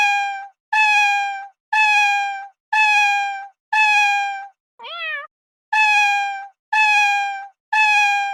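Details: A cat repeats long, level, nasal meows about once per second, broken midway by one shorter, higher, upward-sweeping mew before the steady series resumes.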